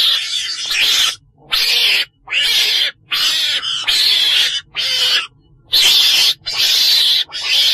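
Ferret-badger giving harsh, hissing screeches in bursts of about half a second, repeated roughly once a second with short silent gaps.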